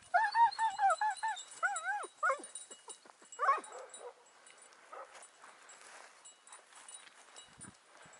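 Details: Hound hunting hare in the morning, in pursuit; rapid rising-and-falling yelping bays in quick runs, loud at first, then fading to faint distant yelps.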